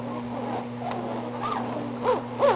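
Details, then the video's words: Eighteen-day-old Belgian Malinois pups make thin arching whines, rising then falling, several in quick succession with the last two loudest, against a constant low hum. "Belgian Malinois Pups at 18 days old"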